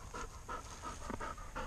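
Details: A 14-month-old English Labrador Retriever during field training, panting in quick regular breaths, about six in under two seconds; a handler gives commands just before and after.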